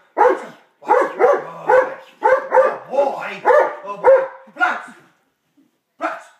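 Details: Taz, a pet dog switching from sweet puppy to playful 'attack dog' mode, barks in quick harsh bursts, about eight in five seconds, some doubled, then falls silent before one final bark.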